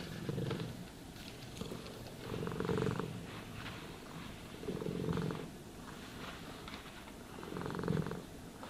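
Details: Contented domestic cat purring as it is brushed, four clear swells of deep rumbling purr spaced roughly two and a half seconds apart, with faint brushing rustle between them.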